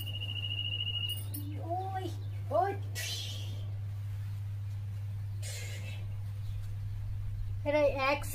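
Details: Pet cat, playful and mischievous with its owner, gives short arched meows rising then falling, a pair early on and another sharp one at the end, amid human voices, brief bursts of noise and a steady low electrical hum.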